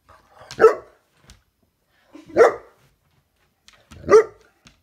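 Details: Saint Bernard, a female dog, playing indoors with a grasshopper she wants to eat; three short, sharp barks spaced about every one and a half seconds, with faint household noises between.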